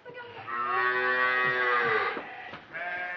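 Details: Cattle on a farm being fattened for 204 days for a Qurban sacrifice project give one long, drawn-out moo of nearly two seconds, steady and then slightly falling, followed by handling noise and a fainter short sound.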